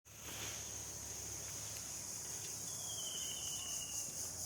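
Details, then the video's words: Crickets chirping outdoors on an afternoon in the countryside: a steady, shrill high-pitched trill that holds throughout, with a faint thin whistle gliding slightly downward in the second half and a low background hum. "ঝিঁঝিঁ পোকার ডাক"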